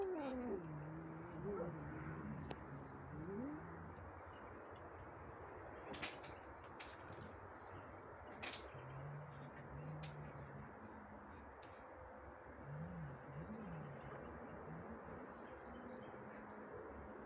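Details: A very scared cat gives low, wavering yowls that slide up and down, with the strongest burst in the first few seconds and more drawn-out moans later. The calls are faint against a steady background hiss, with a few sharp clicks.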